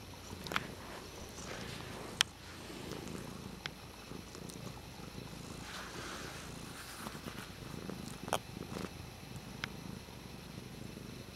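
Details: Dutchess, a pet cat, purrs while playing with a water bottle lid: a low, steady rumbling drone under scattered sharp clicks and taps.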